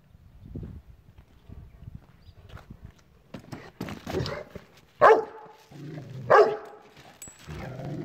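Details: Rottweiler reacting to a chair indoors, giving two loud, short, harmonic woofs about a second and a half apart after a stretch of softer scuffling and low grumbling noises.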